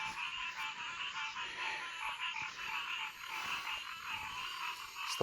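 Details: Pond frogs calling at their usual time of day: a dense chorus of overlapping trills and croaks fills the air steadily.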